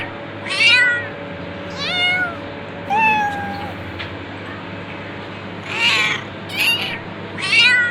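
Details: Domestic cat meowing repeatedly, about six short harmonic meows spaced one to two seconds apart, some rising then falling, one drawn-out lower meow, over a steady low background hum.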